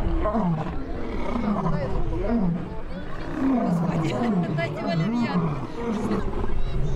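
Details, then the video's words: Lion in a fight giving repeated short, low, downward-sliding grunting roars in irregular succession, set against steady deep rumble and some background noise. "Fight with the roar of the lion"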